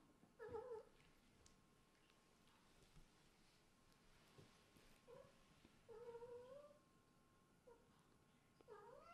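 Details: Kitten from a family of Scottish Fold and British Shorthair cats, drowsy after tiring itself out playing, put back to bed on a cold day. Short tonal meows with clear harmonics, one long wavering mew near the middle, quiet indoor room.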